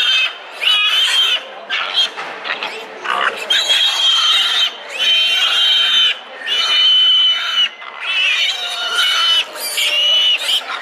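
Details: Hungry piglets at a fat sow, squabbling over her milk; loud, shrill, sustained squeals in overlapping bursts of one to two seconds, separated by short quieter gaps.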